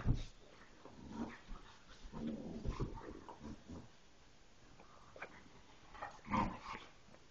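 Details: A Bullmastiff mix puppy growls at a toy in low, rumbling short bursts while a person speaks.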